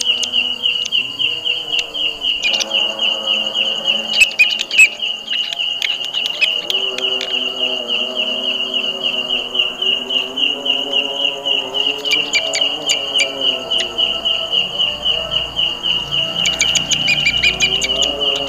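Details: Belalang kecek grasshopper, a kind said to favour jackfruit trees and to sound very loud, giving a steady high buzzing tone pulsed about three to four times per second throughout, over fainter low droning harmonic tones and a few clicks.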